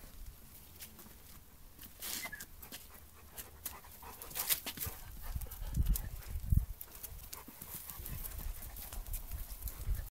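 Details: Two Bernese Mountain Dogs play fighting in a garden while a Flat Coated Retriever puppy watches; low, rough growl bursts and heavy panting, loudest midway, with scuffling and rustling throughout.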